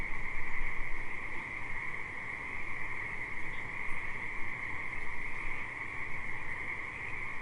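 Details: Riverside frog chorus, continuous and massed, with many overlapping callers forming a steady high buzz and a lower droning band. It swells slightly at the start, with a strong low rumble underneath throughout.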